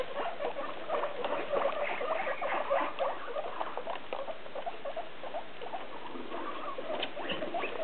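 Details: Six hungry guinea pigs in their holiday cages squeak and chatter together in a busy, overlapping chorus, asking for food as dinner time nears.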